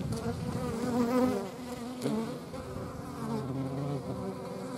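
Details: Soft, wavering insect buzz from hornets in flight, a low droning hum that rises slightly around the middle and then settles.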